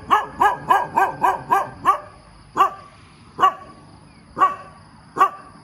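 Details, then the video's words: Morning barking from a dog: a quick burst of six rapid barks in about two seconds, then slower single barks roughly every 0.8 seconds, with a thin steady high-pitched hum in the background. "เสียงหมาเห่าตอนเช้า เห่าเก่งมาก"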